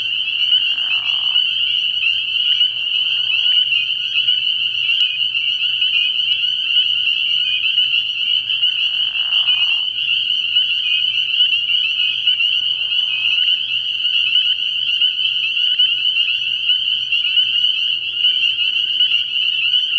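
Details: Spring peepers calling at night in early spring at a frog pond: a dense, unbroken chorus of high peeps overlapping into a shrill wall of sound, with a few short lower croaking bursts and a faint steady low hum beneath.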